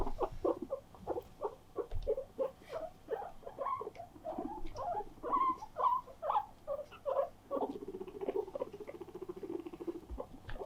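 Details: Guinea pigs gathered indoors around an attention-seeking companion: rapid series of short chirping squeaks, uneven in pitch, followed by a sustained low pulsed purr near the end.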